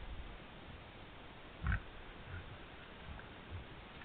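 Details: A wild boar (Sus scrofa ussuricus), caught on a trail camera while rooting through the forest floor with its snout for food, gives a single short, low grunt amid quiet background hiss.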